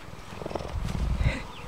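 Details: Old rescued female cheetah at a wildlife sanctuary, well used to people, purring on seeing someone; low continuous rumbling purr with a faint higher tone near the end.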